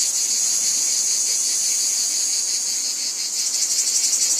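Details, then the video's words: Cicadas in a wheat field producing a high, hissing buzz, smooth for about three seconds before breaking into a quicker pulsing rhythm. "Cicadas Ambience | Wheat Field Cicadas Background Noise"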